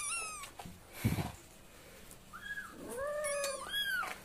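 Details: Domestic cat and kitten, filmed at various times, meowing indoors: a high, arching meow first, then after a thump a pause and three more bent, harmonic meows close together, the later ones lower and drawn out.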